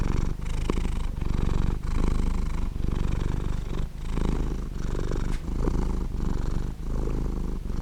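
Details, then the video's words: Purring domestic cat, a rough low rattle sustained through the whole stretch, pulsing in steady inhale-exhale cycles about every 0.7 seconds, with a faint brief click near the middle. "Purring Of A Cat Sound"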